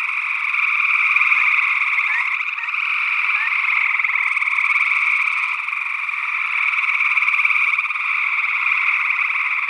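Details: Gray tree frogs calling in Northwest Wisconsin in early June 2022, recorded with a matched pair of condenser microphones in ORTF. A dense, steady trilling chorus of overlapping callers, with a few short rising peeps from another frog species.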